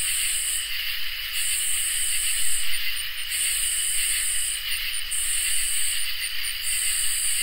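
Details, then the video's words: Summer night chorus of crickets and katydids: a continuous high-pitched ringing trill, overlaid by rasping buzzy phrases that start and stop roughly every two seconds, each lasting over a second. A faint low hum sits beneath. "Crickets and Katydids in Summer | Ambient Night Chorus"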